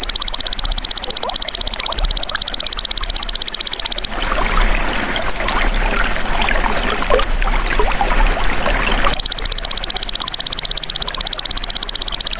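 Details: Golden grasshopper (belalang emas), recorded for tutoring cage songbirds: a shrill, fast, evenly pulsed trill for four seconds, a gap filled with rustling, trickling noise, then the insect's buzzing resumes and carries to the end.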